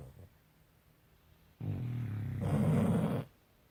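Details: Bus and Kat, dogs fast asleep, produce a single snore: a low rumble that grows into a harsher, louder buzzing rasp for under two seconds before fading to quiet.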